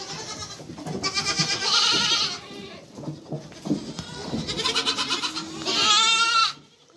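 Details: Mother goat with kids calling: shrill, vibrating bleats in three main bursts, a high wavering cry at the start, a softer middle stretch, then a sharp final bleat.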